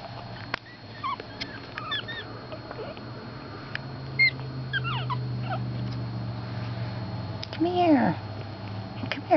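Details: Four-week-old Pekingese puppies give thin, high whimpers and squeaks while a woman talks softly to them.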